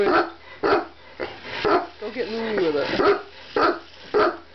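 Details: Car-chasing Chihuahua letting out quick yappy barks roughly twice a second, broken midway by a short wavering whine before the barking resumes.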